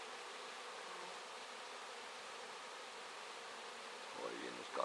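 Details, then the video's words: Mass of honey bees, around a whole hive, clearing wax; steady dense buzzing throughout, with a man's voice starting briefly near the end. "bites tira vasku"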